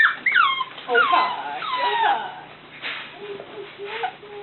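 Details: Cavalier King Charles Spaniel puppies, littermates, whimpering: several high, thin whines sliding downward in pitch during the first two seconds, then softer, shorter whines, with a woman talking to them nearby.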